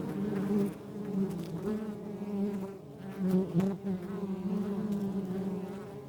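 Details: Western honey bees buzz steadily around a backyard hive, a low droning hum rising and falling as they fly.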